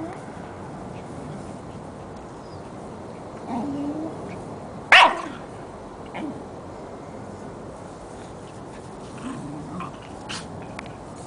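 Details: A Jack Russell terrier and a Corgi puppy playing together indoors. One sharp, loud bark stands out midway through quiet surroundings, with faint shuffling and a few soft yelps around it.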